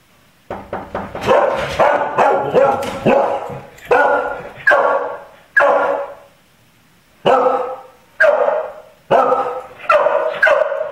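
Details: Dog barking indoors, the kind of barking at someone approaching the door or at random noises that the Click for Barking training technique addresses; about a dozen loud, sharp barks in uneven bursts, with a clear pause midway.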